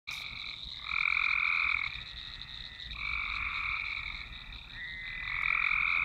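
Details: Frogs in a swamp chorus, recorded on a Nokia Lumia 1020: overlapping bands of dense trilling calls, pulses of about a second swelling and fading, with a steady higher hum beneath throughout.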